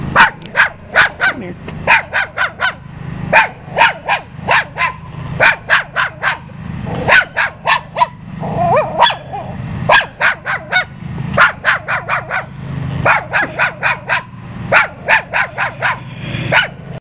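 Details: A visiting dog barks persistently in quick bursts of sharp, loud barks, often three to five in a row, with brief pauses between groups over a steady low background rumble.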